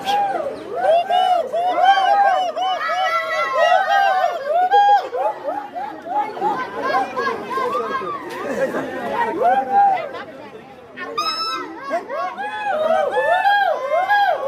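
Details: Monkey. A group of monkeys calls over one another in a dense, busy chorus. Their voices are high and tonal, each note swooping up and down in quick arches, with a brief lull before the chatter picks up again.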